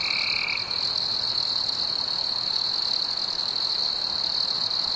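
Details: Crickets singing on a warm summer evening among fireflies: a short lower buzzy burst opens, then a steady, piercing high trill continues unbroken.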